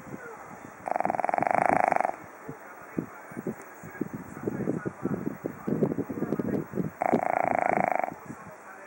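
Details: Japanese Chin snores. Two vibrating, rattly snore breaths, each just over a second, come about six seconds apart. Between them are busy snuffling and clicking breath noises.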